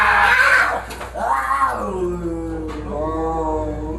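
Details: Fighting cats: a harsh, noisy screech opens, then a wail swells upward and falls away into a low, steady, drawn-out moan.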